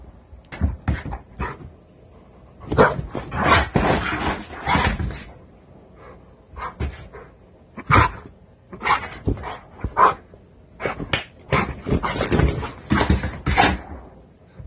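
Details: Indoors, a 90-lb one-year-old blue pit bull signals it has to defecate with choppy, talkative whines and huffing grumbles in short irregular bursts, a few sounding like soft barks.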